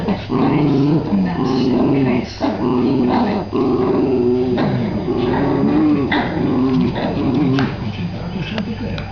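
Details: Jack Russell Terriers, a father playing with his young, keep up nearly unbroken, rumbling growls. Wavering, pulsing tones rise and fall in long stretches, with short gaps and some scuffling noise.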